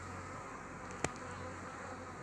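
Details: Honey bees at a frame with a queen during the forming of a new colony; constant buzzing hum broken by one sharp knock midway.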